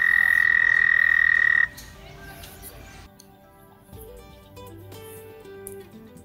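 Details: In Missouri, an American toad gives a loud, steady, high musical trill that ends abruptly after under two seconds; this call means the toads are happy.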